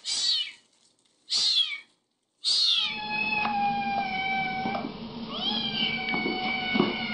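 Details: Little kittens meowing: three loud, high, strained mews about a second apart, then a sustained tonal background with soft rising cries and faint thumps.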